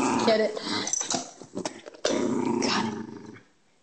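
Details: During a playful indoor chase, Eva the Schnauzer clings to an empty peanut butter jar. Brief rumbles come first, then a continuous low, raspy growl lasts over a second and fades into quiet, with human chatter alongside.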